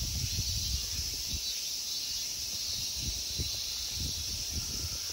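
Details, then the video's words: Dense, even high buzzing from summer insects in a Tokyo temple park at Ikegami Honmonji, Japan, runs throughout, over a series of soft low thumps like footsteps. "Summer insect sounds."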